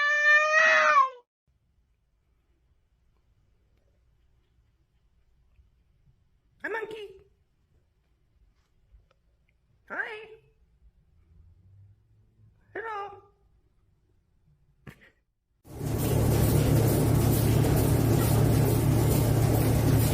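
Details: House cat in a funny pet compilation: one loud falling meow, then three short, fainter chirping meows spaced about three seconds apart in near silence, before a burst of loud music and noise takes over.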